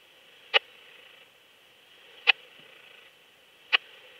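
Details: At Lido di Spina, Italy, 3 September 2021, a Raymond's bush-cricket heard via an ultrasound detector gives three brief dry ticks spaced about one and a half seconds apart against a low constant hiss.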